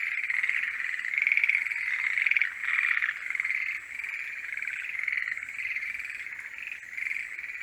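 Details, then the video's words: Several forest green tree frogs singing in their mating season, a thick chorus of pulsed, rattling croaks in which individual louder bouts stand out every second or so, with faint high ringing tones overhead. "モリアオガエルの鳴き声(Forest green tree frogs are singing)"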